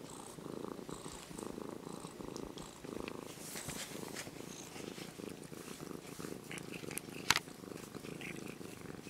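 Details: Low, even purring from a brown-and-white kitten, once a stray and now almost domesticated, as it is stroked; rhythmic breathy pulses continue throughout, with rustling and a single sharp click near the end.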